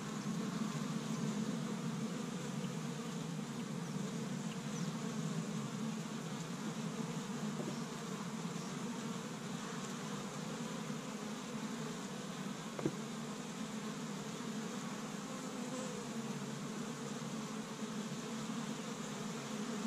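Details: Many honey bees active at an established Michigan hive in spring, collecting pollen from tree buds on the first warm day; continuous low buzzing drone with a brief click near the end.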